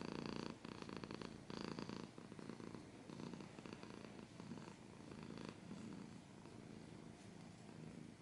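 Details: Domestic cat purring up close indoors, a continuous low rumbling vibration pulsing in short phases, with scratching noises mixed in.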